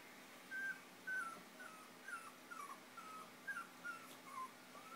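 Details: Chinese Crested puppies five weeks old, in foster care with their mother through Almost Home No Kill Animal Rescue, while playing and nursing: short high whines repeated about twice a second, some flat, some dipping, against low indoor hum.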